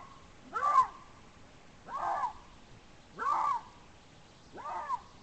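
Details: Eurasian lynx giving its rarely recorded mating call, caught by a Romsilva monitoring camera in a forest of the Țarcu Mountains, Teregova forest district, Caraș-Severin, Romania; four harsh, arched, wailing cries, each about half a second, spaced roughly 1.3 seconds apart.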